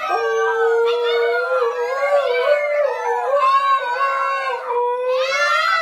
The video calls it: Funny Howling Class:Husky Puppies Learn to Howl